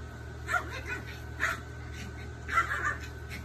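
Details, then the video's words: A Papillon and a Pomeranian at play: short, high-pitched yips in three small clusters, over a steady electrical hum. "Papillon 🦋🦋🦋and pomeranian dog play time"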